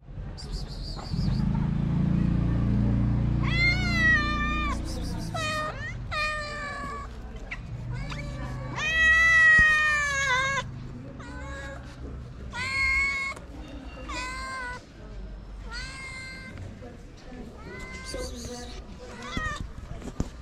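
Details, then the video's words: Several cats in Morocco, abandoned strays cared for at a small shelter, crying for food and not sharing it with each other; a steady run of loud, harmonic meows rising and falling, many overlapping, over low background rumble and some music. "Cats that came crying for food don't want to share it with each other."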